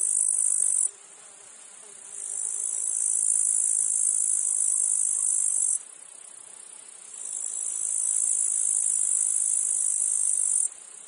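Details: Field cicadas in a meadow insect chorus with flies: three long, piercing high buzzes lasting about three to four seconds each. Each starts with a gradual swell and ends with a sharp cutoff, separated by softer humming gaps.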